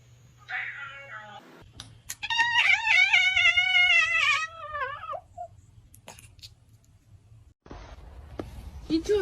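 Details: Domestic cat heard in a ranking of funny cat sounds from the internet: a long, wavering, drawn-out meow with many bright harmonics, briefly preceded by a shorter call, with a steady low hum beneath and a few clicks afterward.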